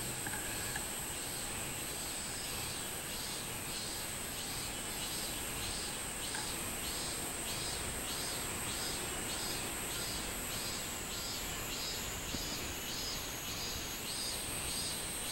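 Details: Minmin cicada singing on 24 July 2016, a steady run of buzzy high pulses repeated roughly every second and a half throughout, over a constant high hiss of insect noise.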